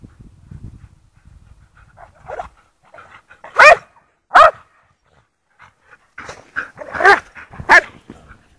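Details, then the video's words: Lurchers out in the snow at Priory Marina in Bedford; a low rumbling start, then scattered softer barks, two loud sharp barks mid-way, and a cluster of barks toward the close. "snow lurchers"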